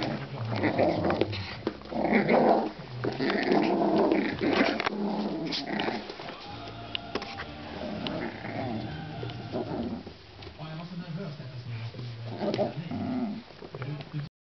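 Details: Two Poodle puppies, a female and her brother, playing together in an indoor puppy pen; low rumbling growls come in rough bursts, mixed with scuffling and thumps of the play.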